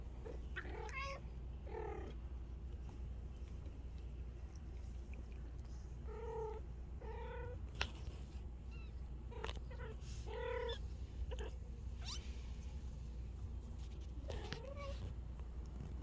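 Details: Bengal kittens mewing indoors near their mother; short, nasal, slightly rising mews with clear harmonics, repeated in uneven pairs about eight times across sixteen seconds over a steady low hum.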